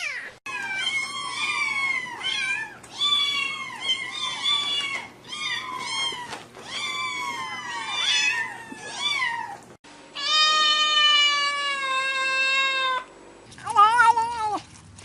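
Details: Pet cats in a funny compilation meowing repeatedly in a rapid run of short, bent, high-pitched cries, followed by one long steady wail and then a wavering yowl.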